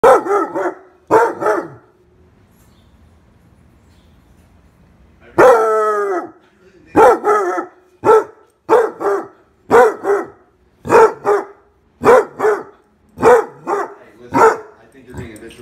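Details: Basset Hound throwing a temper tantrum, letting out loud drawn-out baying barks with a mournful wavering tone, a brief pause, then a long howl followed by a steady series of roughly a bark each second.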